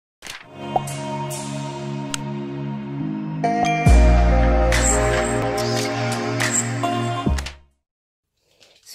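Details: A short musical jingle with a few sharp clicks and knocks, ending in near silence, with no animal sound heard.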